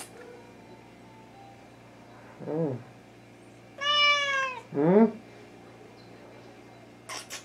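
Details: Wichien Maat (Thai) cat recorded indoors in July 2017, giving drawn-out harmonic meows: a short falling mew, then a longer rising-falling meow and another descending one, with faint background music and a brief click at the end.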